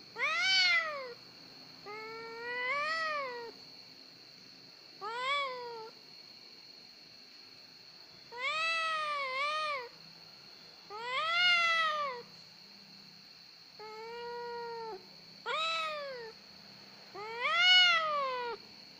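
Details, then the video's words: A house cat meowing plaintively over and over, about ten rising-then-falling cries per minute at irregular spacing, some stretched long and wavering; faint steady hum in the background. "CAT EASY TO CRY. KUCING GEMBENG."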